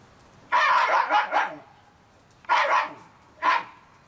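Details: Shiba Inu puppies aged 30 days giving rough, breathy yelps: a longer stuttering burst, then two shorter separate cries about a second apart.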